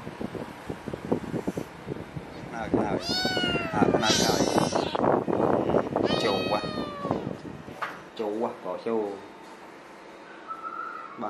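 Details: Baby cat refusing to share its pillow with its doll meows indoors: two loud, drawn-out, wavering meows with rich overtones over almost constant human talking and handling noise, with shorter bleats near the end.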